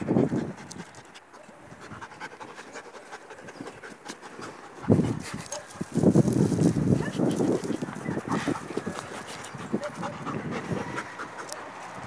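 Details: Female German Shepherd named Africa playing with Afur, a Belgian Malinois puppy: rapid rhythmic panting, roughly four breaths a second, with scuffling bursts of play noise and faint human voices in the background.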